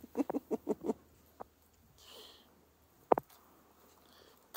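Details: Dog at play in fresh morning snow, urged on by a person: five quick yips in a row at the start, then a single sharp bark later, with crunching and shuffling between.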